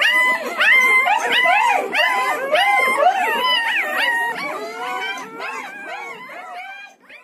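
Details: Several newborn Siberian Husky puppies, one to ten days old, crying together in a dense overlapping chorus of high, wavering squeals and yelps, arching up and down in pitch, loud and continuous, fading slightly at the end.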